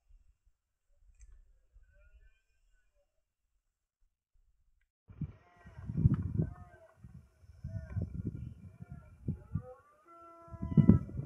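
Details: Rutting red deer in the Sierra de Andújar, 10 September 2024, at 5 pm: near silence for five seconds, then deep guttural roaring bursts with harmonic overtones, repeated and strongest at the close.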